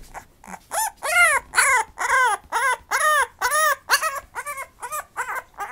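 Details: Lively male puppy already eating weaning food, offered by a breeder; a quick run of about eleven arched, harmonic whining yelps, each rising then falling in pitch, roughly two per second, softening toward the end.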